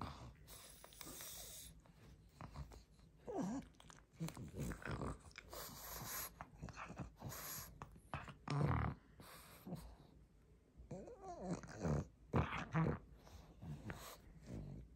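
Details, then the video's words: Pug greedily chewing a rope toy indoors, ASMR-style close recording: irregular wet chomping and gnawing bursts with snorty breaths, loudest around eight and twelve seconds, in a small quiet room. "Мопс жадно жуёт игрушку.Вкусная веревка."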